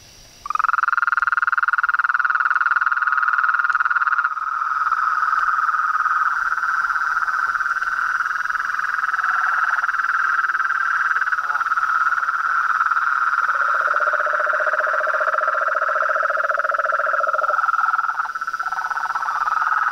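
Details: Chorus of frogs, toads and treefrogs at dusk at a pond beside a house, unbothered by a light: overlapping fast pulsed trills, with a lower, rougher rattling voice joining for several seconds before the higher trilling carries on.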